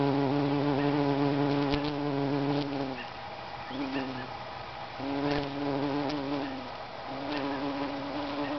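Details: Bumblebee on a lupin flower, buzzing in a low steady drone with stacked harmonics, breaking off near three seconds, returning briefly, then resuming in longer bursts, faint chirps of birds above.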